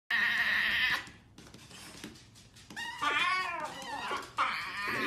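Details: Grumpy Chihuahua indoors in a small room giving whiny, harmonic vocal bursts: a steady high whine at the start, wavering, bending moans after a pause near three seconds, then a short sharp call, followed by a person speaking.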